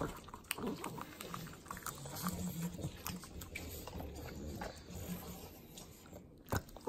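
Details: Pugs, three of them, lapping up butter at home in the Inland Empire, Southern California. Rapid clicky licks and smacks, with a brief nasal snort-like tone in the middle and a sharp noise near the end.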